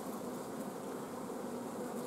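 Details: Honey bee colony at an apiary on 14 June 2016, its queen blocked from laying because of a lack of forage and nectar flow. A steady, dense hive hum holds throughout, mid-pitched and even, with no breaks.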